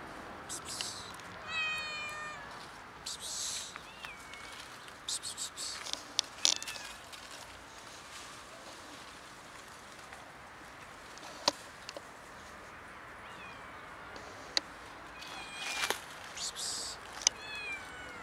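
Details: Street cats of a large colony gathering around a tree log for food, up to seven cats; several short high meows early on and near the end, with scattered clicks and knocks from the street in between.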